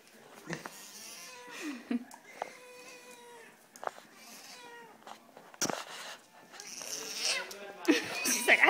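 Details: Madeline, a pet cat that dislikes being petted, gives several drawn-out harmonic meows indoors, some level and some bending downward, spaced a second or so apart, with human talking and handling noises in between.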